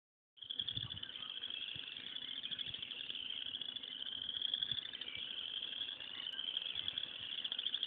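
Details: Frogs calling loudly from a pond in the morning: a dense, unbroken chorus of high, buzzy trills merging into one steady shimmering band that runs for several seconds, with faint low rumbles underneath.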